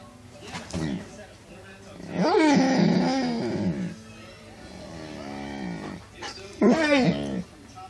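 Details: Cooper, a pet dog, makes crazy noises indoors: a drawn-out, wavering moan that rises and falls around two to three seconds in, then a shorter bending howl near the end, with quieter grumbling between.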